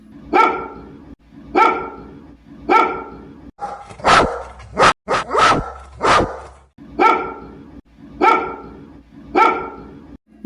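A Golden Retriever barks in deep, full single woofs, with a quick burst of barks midway.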